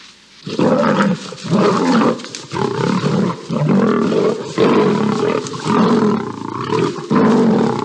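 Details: Two lions fighting on a savanna grass field in Botswana while a lioness intervenes; harsh, rasping roars and snarls come in dense overlapping bursts almost continuously after a brief quiet opening.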